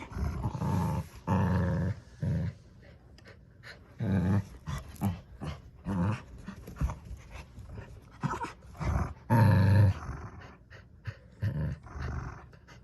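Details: Two dogs growling during a tug-of-war fight over a new toy duck; deep rumbling growls come in loud bursts of about a second each, separated by short quieter gaps, with snorting breaths between.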